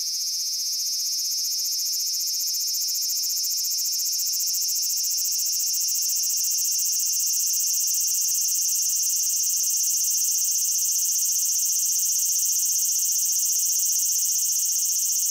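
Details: Japanese cicada producing a continuous, even, high-pitched shrill drone that barely changes in pitch or loudness across the whole stretch.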